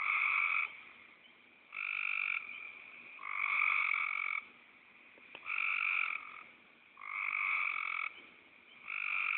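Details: A frog repeats short, harsh, snoring croaks about every one and a half seconds, each a buzzy burst of under a second. There is no other clear sound.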